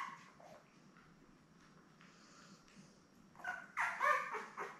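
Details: Newborn Labrador Retriever puppies, one of seven born May 24, 2021 to mother Belle, on an indoor puppy cam on 3 June: quiet rustling, then a burst of high, squeaky whimpers in the last second and a half.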